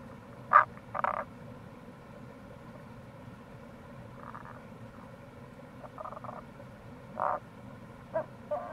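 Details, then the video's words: Tago's brown frog near a gorge on Kamo River, Itoshima, Fukuoka Prefecture, Japan, recorded in April; a series of short, muffled croaking notes in uneven bursts, some doubled, set against the continuous rush of flowing water. "Wild Frog Call | タゴガエル"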